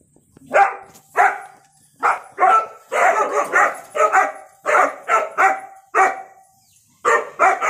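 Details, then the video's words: {'caption': 'German Shepherd puppy, described as angry, giving a run of short, harsh barks and yips in uneven bursts of two or three, about fourteen barks over eight seconds with brief quiet gaps between.'} "My German Shepherd puppy in angry"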